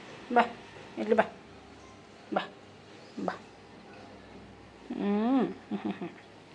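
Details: Pet cat indoors giving a drawn-out meow that rises then falls in pitch near the end, preceded by several short voiced bursts, with a person calling affectionately in Kannada.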